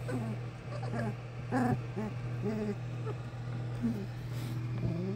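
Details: Young English Springer Spaniel puppies of one litter at a kennel, producing many short, wavering whimpers and squeaks in quick succession, some rising and falling in pitch, over a constant low electrical hum.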